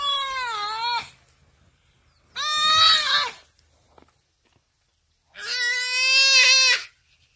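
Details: Buck antelope crying for help while attacked by a cheetah: three loud, harmonic bleating cries, each about one second long, with slight downward bends and quiet pauses between them.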